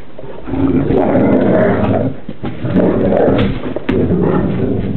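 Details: Newfoundland siblings Burley and Miss Priss romping and wrestling; loud rough growl-roars in three sustained bursts, harsh and rumbling with gravelly texture, a few sharp knocks between.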